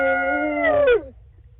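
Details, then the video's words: Nighttime howl from wolves Lava and Tyke, Wolf Conservation Center, South Salem, New York: a steady held tone lasting most of a second, then a short downward slide as it fades out, followed by near silence. "Nocturnal activities: yawning, growling, howling"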